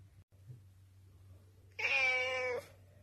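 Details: Rescued black cat, taken in from a mountain village in winter 2013, begging for food indoors as dinner time nears; one drawn-out, slightly falling meow of under a second over a steady low hum.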